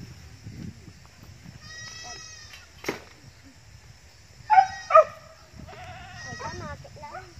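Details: Goats from a growing home herd, two short loud wavering bleats midway and fainter bleating calls earlier, with a person talking throughout.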